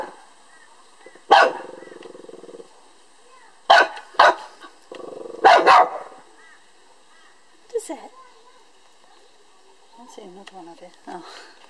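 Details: Lhasa Apso dog barking at a beetle, picking a fight with it; a few sharp broadband barks spaced seconds apart, with quieter human speech and low murmuring between them.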